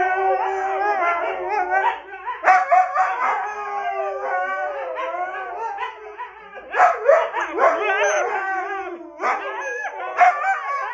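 A Siberian husky yowls and howls in wavering, rising and falling bursts, like vocal back talk.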